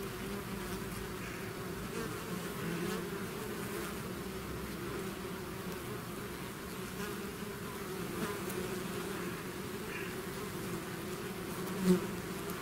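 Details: A bee swarm pouring out of its hive, a dense continuous buzz of many insects with steady low hum and overtone bands, level and unbroken throughout, with a brief louder pass near the end.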